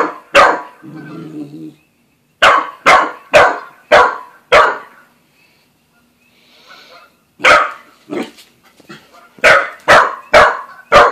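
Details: Buzz, a young Australian Shepherd and Corgi mix dog, barks at Bread Bandit the cat during an early meeting indoors: sharp, bright barks in uneven bursts, a quick run of five, a pause, then more clustered barks.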